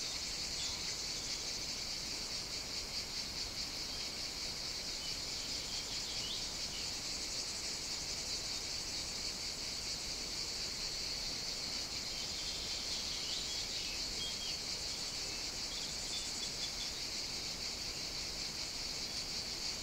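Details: Cicadas on a summer morning at an outdoor caffè in Sicily, Italy: a dense, continuous high buzzing chorus that stays steady throughout, with faint traces of other high calls beneath it.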